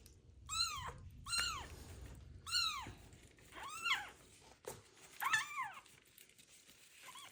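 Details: Ringworm-infected kitten abandoned on the street meows loudly while being washed with special shampoo; five or six arching meows in quick succession over a low background hum.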